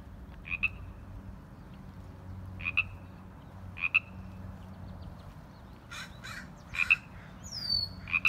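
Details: A frog gives short, two-part ribbit croaks every one to three seconds, fairly high-pitched, with a brief bird whistle and a few rustling bursts near the end, in a park in April in spring.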